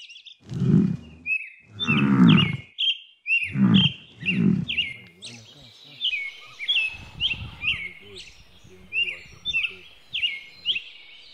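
A water buffalo gives four deep, rough grunts in quick succession while small birds chirp throughout.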